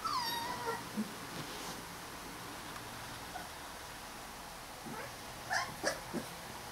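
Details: Rottweiler puppy. Young Rottweiler puppies squeal in short, high, wavering whines that drop in pitch, close to a kitten's mew. After a quiet stretch, a few soft bumps and shuffles follow near the end.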